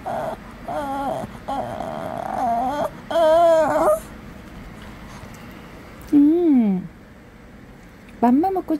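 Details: A Shih Tzu whines in wavering, sing-song bursts, talking back to its owner in apparent annoyance after struggling to come in; afterwards it seems to want food.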